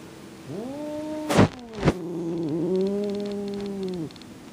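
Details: Domestic cat refusing to tolerate another cat in its favourite room, giving a long low moaning growl that wavers slightly and holds for about three and a half seconds, with two sharp knocks near the start.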